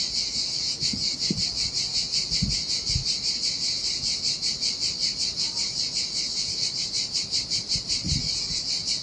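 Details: Cicadas singing in summer heat beside a deserted Sardinian beach with turquoise sea: a dense, high, shimmering buzz pulsing steadily, about two to three throbs per second, over soft low thuds of waves splashing on sand.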